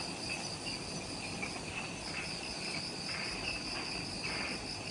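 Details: Insects calling in the jungle of Ishigaki Island, Okinawa, Japan, at twilight just after sunset: a steady layered chorus of high continuous trills and shrill pulsing bands, with a broad low rumble of background noise underneath.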